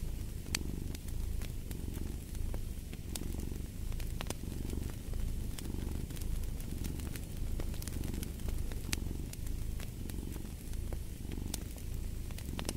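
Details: Relaxed cat purring, a soft vibrating drone that pulses with inhale and exhale roughly every one and a half to two seconds, accompanied throughout by crackling, popping firewood.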